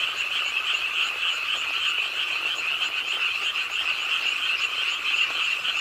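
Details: Frogs croaking at a pond's edge in Suwon's Ingye Arts Park on a rainy late night, a dense unbroken chorus of high, rattling calls holding steady throughout, over the soft hiss of falling rain.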